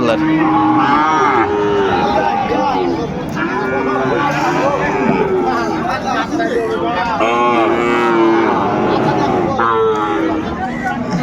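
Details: Lowing of Sahiwal cattle, bulls and calves traded at the start of Ambari market in Dinajpur, Bangladesh, November 2024; repeated sustained moos, some bending upward at the end, over constant crowd talk and bargaining voices.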